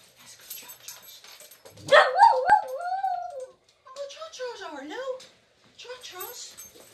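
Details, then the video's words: Old, blind rescued Whippet giving a roo before his walk: two bouts of warbling, howl-like vocalising that wavers up and down in pitch, the second dipping lower, with a person talking quietly in between. "Little blind Whippet Arlo gives a roo for his walk"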